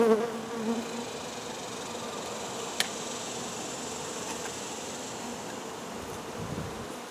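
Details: Honey bees buzzing as their hive is removed: a dense, continuous drone that is loudest at the start and then holds even, with one brief sharp tap partway through.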